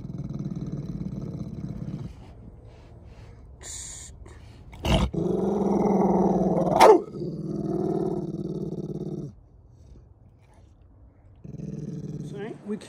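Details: Pit bull named Dainty, aggressive toward people and dogs, growling defensively out of fear before rehabilitation training. Low rumbling growls in bursts: one about two seconds long, a longer four-second stretch broken by sharp knocks, then another growl closing the clip.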